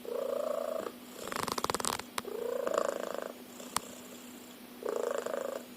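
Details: Domestic cat snoring, compared to a car engine: drawn-out droning breaths with a rough, rattling tone, three snores in about six seconds, plus brief clicking and rustling noises between them.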